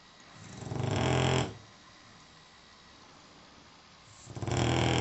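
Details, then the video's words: Dog snoring in its sleep: two long, low, rough breaths about three seconds apart, rising and falling, with quiet room hiss in between. "Snoring Zeke"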